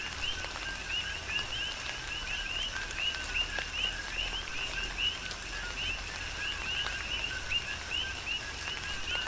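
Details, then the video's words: Coqui frogs calling in a rain shower on Hawaii's Big Island, their repeated two-part ko-KEE chirps overlapping densely over a hiss of falling rain and occasional sharp drips. "Tropical Rain & Coqui"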